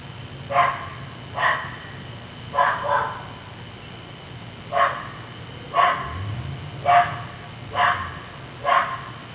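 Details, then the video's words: Persistent nocturnal barking by a neighbour's dog disturbing sleep; eight or so sharp, distant-sounding barks at uneven intervals, one doubled, with a brief low rumble midway and a constant faint high tone. "Noisy Dog"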